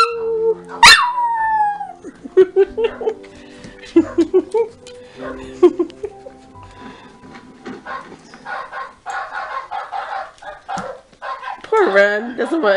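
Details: Big Coonhound and a Chihuahua howling back and forth indoors while an Italian Greyhound–Rat Terrier mix avoids it: a sharp yelp, then a drawn-out howl, scattered short wavering cries, and a rising whine at the close.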